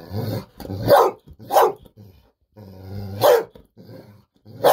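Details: Bis, a Golden Retriever, excitedly demands a fish-sausage snack at home. Sharp barks alternate with low, throaty growl-like vocalising, about five bursts in under five seconds.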